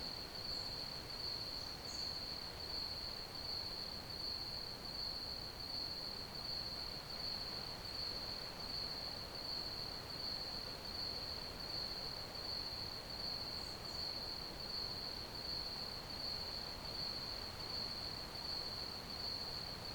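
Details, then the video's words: Ambient cricket chorus meant for sleep, a continuous shrill pulsing trill at one high pitch that never pauses, with steady rushing background noise and two brief faint high notes. "Ambient Crickets Chirping Sounds"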